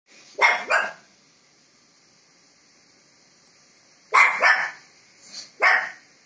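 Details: Shih Tzu puppy barking indoors while arguing with a Labrador puppy over a call: two sharp double barks, the first near the start, the second about four seconds later followed by another single bark, in a quiet room.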